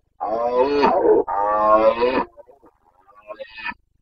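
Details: Carpathian stag bellowing during the red deer breeding season in Bucovina, Romania, 29 September 2022: two long resonant, moaning roars back to back, trailing into quieter grunts and a final rasp.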